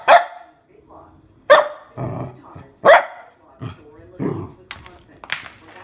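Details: Nervous mini Goldendoodle puppy, female, reacting to a water bottle with three strong barks about a second and a half apart, then softer huffs, mixed with speech and low rumbling noise.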